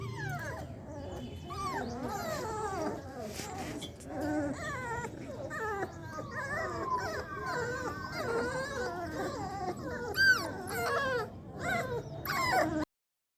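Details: Puppies for sale in India, Labradors among them, giving a dense chorus of thin whimpers and yelps, many short arching cries overlapping from several pups, with brief louder squeals toward the end and low rumbling background.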